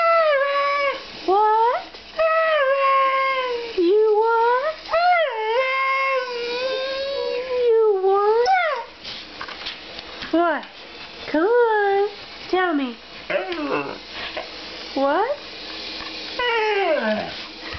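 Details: Siberian Husky indoors vocalising back and forth with its owner as if talking: long wavering howls and yodelling moans that rise and bend, in bursts of one to two seconds with short pauses, growing choppier and shorter toward the end.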